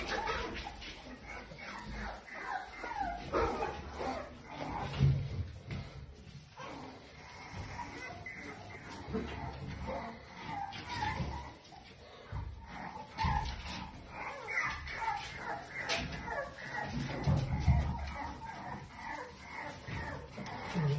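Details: A pair of Toy Poodle puppies, eight weeks old, giving scattered yips, whimpers and small barks over twenty seconds, with some louder bursts near the middle and end, and people talking in the background.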